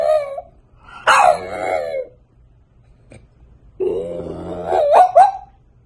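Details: French Bulldog puppy whining and grumbling indoors: a brief high whine, a raspy moaning phrase, a pause, then a wavering whine ending in a few squeaky yelps.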